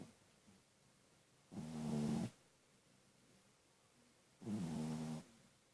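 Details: A sleeping pet dog gives two rough, rumbling snores roughly three seconds apart, each drawn out for close to a second, in an otherwise quiet room.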